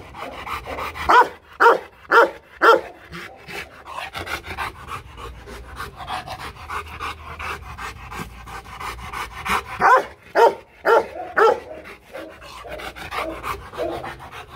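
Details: Rottweiler Loki, a Vietnamese champion from the Rottweiler Gervi kennel in Hanoi, giving a playful level-one warning bark rather than an attack threat. Four loud, round barks come about half a second apart, then a quieter stretch, then another run of four.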